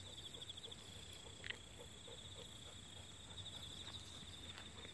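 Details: Crickets singing at their autumn peak on 8 October 2016 during a walk with golden retrievers searching for fallen persimmons: a steady high trilling chirp runs throughout, with soft footsteps and rustling below.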